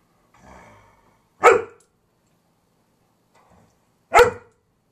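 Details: Eleven-year-old husky mix Gracie barks at nothing while going wacky: a low, soft growl, then two sharp, explosive barks spaced about three seconds apart in an otherwise quiet room.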